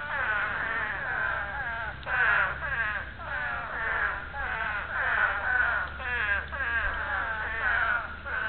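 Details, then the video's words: Spadefoot toads giving their breeding call: overlapping, wavering bleat-like wails with rich harmonics, each lasting about half a second to a second, repeated continuously so several callers blend into a dense, pulsing chorus. "Breeding call of the Spadefoot Toad."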